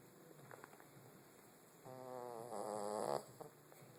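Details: Soap, a pet cat, snoring: a soft rumble, then a longer rough harmonic snore building in the second half before cutting off, with a quiet room behind.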